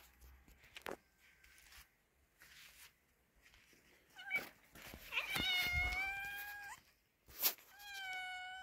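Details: Domestic cat, a male mating with a pregnant female: scattered faint noises, then a drawn-out harmonic meow wavering level for over a second, a sharp click, and another steady meow starting near the end.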